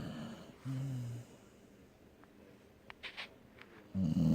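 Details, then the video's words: Dog asleep, giving low rasping snores: two short droning breaths early, a quiet gap with faint clicks and sniffs, then a louder rumbling snore to finish. "Snoring dog"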